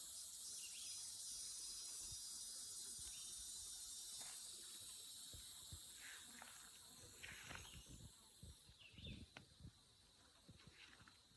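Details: Insects drone loudly beside a wooded country road on a dog walk: an unbroken high-pitched shimmering hiss that thins out in the last few seconds, while footsteps and light rustling thud below.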